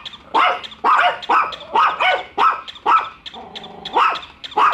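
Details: Barking from two pet dogs, Bico and Faith, at their first encounter with a toy dog; steady barks roughly twice a second, interrupted briefly by a drawn-out whine.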